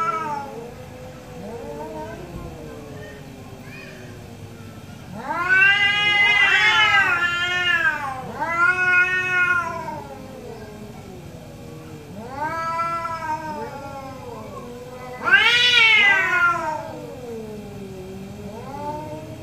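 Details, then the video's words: Morning argument between two orange cats: a series of drawn-out meows and yowls, some rising then falling, alternating with quieter replies over about twenty seconds. "2 Orange Cat Morning Debate"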